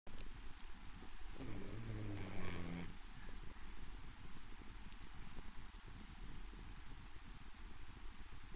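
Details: A pet dog asleep indoors, snoring: one rasping, harmonic-rich snore around the second and third seconds, then low, soft breathing rumbles with steady background hiss in a small room.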